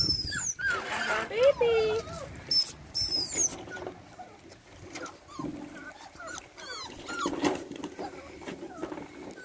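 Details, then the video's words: Labrador Retriever puppies getting louder at feeding time: high squeaky whines and yelps that rise and fall in pitch, bunched in the first three seconds, then scattered short squeaks, with a person talking throughout. "Es wird schon lauter wenn es Essen gibt..."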